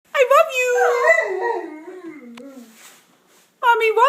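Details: A 15-month-old male Bernese Mountain Dog indoors, howling back as his owner talks to him, sounding like "I love you": a long wavering, whining howl sliding up and down, then falling away, with a fresh rising howl starting near the end.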